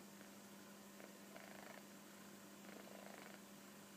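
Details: Soft rasping snores from Koro, a kitten dozing contentedly on a sofa. Breathy noise swells in regular pulses about every one and a half seconds, with a constant low hum underneath.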